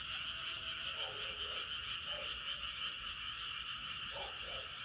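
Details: Moonrise night chorus of frogs, a constant buzzing trill overhead, with lower croaking notes breaking through in brief pairs around one, two and four seconds.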